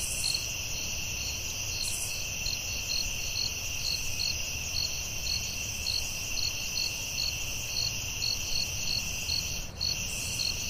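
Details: Crickets in a forest at night produce a long run of quick, regular high chirps layered over a persistent buzzing chorus, with occasional soft hissing bursts and a low background rumble.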